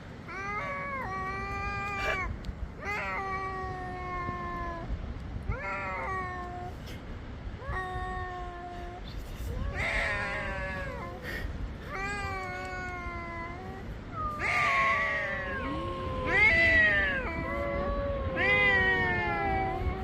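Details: Black cat meeting another cat, giving a series of long drawn-out meows with wavering, bending pitch, roughly every two to three seconds, growing louder and more strained toward the end over a steady low background hum.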